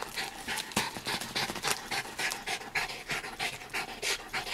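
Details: Dog panting while painting in her home studio in Clinton Hill, Brooklyn, New York, accompanied by her son, another dog; quick breathy pants repeated about three times per second, hissy and fairly even.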